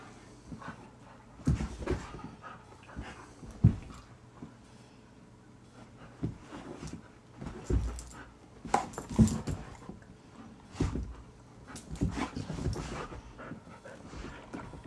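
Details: Found stray male Rhodesian Ridgeback in a Greenville, South Carolina subdivision in the morning; irregular bursts of breathy panting and snuffling, with soft whimpers, in a small indoor room.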